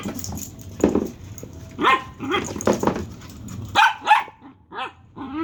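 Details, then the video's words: Dachshund making odd vocal sounds: several short rising yelps and whiny squeaks in quick bursts, some with a clucking, chicken-like quality, separated by brief pauses, with a few louder barks near the middle. "Dagger weird sounds"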